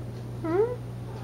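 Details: A Siamese cat gives a single short rising meow indoors while competing with other cats over chicken at feeding time, against a steady low electrical hum.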